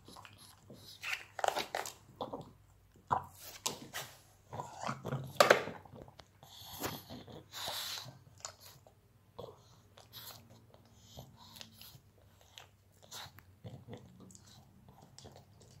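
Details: A pug enjoys a small snack, chewing noisily with wet crunching, smacking and short snorting breaths in a quiet room.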